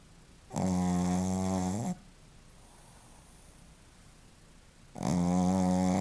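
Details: Shih Tzu named Joaquim snoring: two loud, droning snores with a rich harmonic buzz, the first lasting over a second, the second starting near the end after a quiet gap of about three seconds, indoors.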